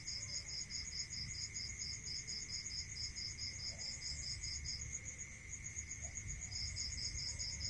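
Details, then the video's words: Crickets calling at night in a rural area: quick repeated high chirps for nearly five seconds, a brief gap, then a new burst, layered over a constant piercing trill and a steady lower drone. "Listening to Cricket Sound"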